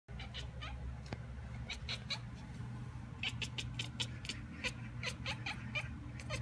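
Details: A cat at a window chatters in reply to a magpie calling outside, making rapid dry clicking bursts in uneven runs, some spaced out and others clustered, over a steady low indoor hum.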